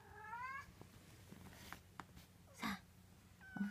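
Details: Munchkin kitten, 24 days old, indoors: a short high rising mew, then scattered clicks and rustles, a brief squeak and a final faint mew.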